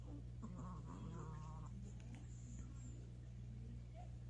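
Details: Napping seven-year-old male Maltese making unusual sleep noises said to sound like a horse: a quick run of faint, quavering, nasal whines lasting about a second, then quiet over a steady low hum.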